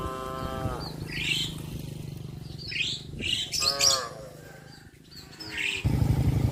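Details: Cows in a traditional breeding herd on the move to a field give a moo that tails off, then a quieter one, while small birds chirp repeatedly above a low droning rumble.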